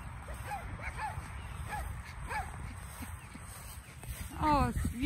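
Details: A Yorkshire Terrier and a Shorkie puppy, running and playing, bark at two chows in the neighbours' yard with short, high yaps, a louder rising whine-bark at the end, and people talking.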